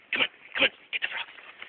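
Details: Five-pound chihuahua on a walk, excited after discovering frogs it wanted to eat; a rapid run of short, sharp high yaps, two louder ones then several quicker fainter ones, with a person's voice faintly mixed in.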